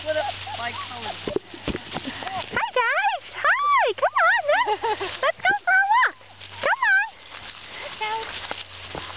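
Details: Several NEBCR puppies out on a walk outdoors, giving high, wavering whines and yelps that bend up and down in pitch, closely grouped, while a person calls to them and coaxes them along.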